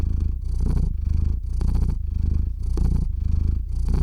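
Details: Domestic cat purring into a close microphone while falling asleep, recorded with a shotgun mic and field recorder: a continuous low rumbling purr with regular pulses, swelling on each breath roughly every second.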